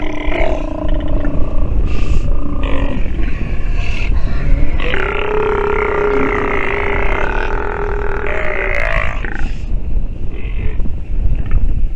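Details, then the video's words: Nursing sea lion pup gives croaky, harmonic bleats, with brief calls early on and then a long, strained call lasting roughly four seconds through the middle, all over steady low rumbling noise. "Sea Lion pup has listened and learned while nursing"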